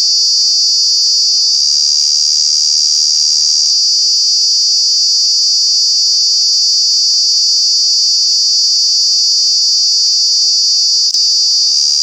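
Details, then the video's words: Intensely loud summertime cicada drone recorded at Kanha National Park, a high, piercing continuous whine that shifts briefly near the start and is broken by a quick click late on. "Cicada, Cicadas are true bug with very loud sounds"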